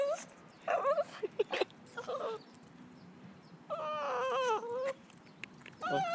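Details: Lhasa Apso out walking, excited by a squirrel, gives short broken yips and whimpers, then a sustained wavering high whine, with rustling and faint background noise between outbursts.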